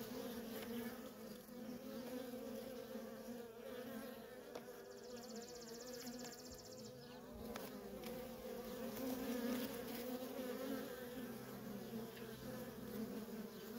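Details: Worker honey bees at a feral colony produce a constant low humming drone, growing somewhat louder toward the end, with a thin high buzzing texture briefly present in the middle.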